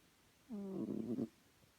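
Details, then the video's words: One short, buzzy nasal snore from Chloe, a house cat, slightly rising at the start and fluttering toward the end, under a second long. "Chloe snoring"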